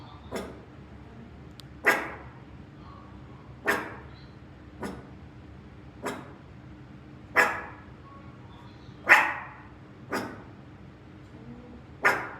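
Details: Rangi, a Maltichon dog, goes to work with its owner and gives sharp, single barks spaced roughly one to two seconds apart, eight in all, over a low steady indoor hum.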